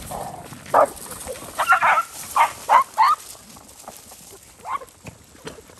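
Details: Stray dogs on a farm in Cambodia fighting over rice near a road: a burst of harsh, harmonic yelps and snarls, several short loud outbursts in quick succession, then quieter background with one more late cry.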